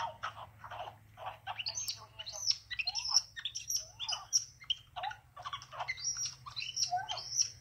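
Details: Baby male pet capuchin monkey greeting his owner, who has come back from a shower after he stayed with a babysitter: rapid bursts of high, squeaky chirps and twitters, some with sharp whistled upsweeps, over a steady low household hum.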